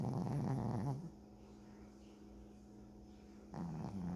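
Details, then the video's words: A dog snoring, recorded up close: a low, rumbling, rapidly pulsing snore that stops for about two and a half seconds of near quiet, then resumes. "강아지 코골이"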